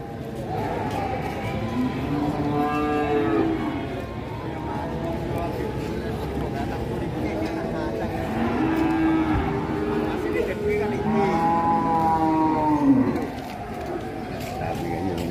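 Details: An agitated cattle calf on the rampage moos repeatedly: two long, arching, harmonic-rich bellows several seconds apart, the second stronger and ending abruptly, with background music and distant voices.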